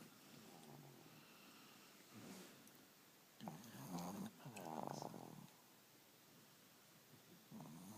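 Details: Two sleeping dogs snoring loudly indoors; a steady breathy hiss is broken by a few louder, rasping snore bursts in the middle and again near the end.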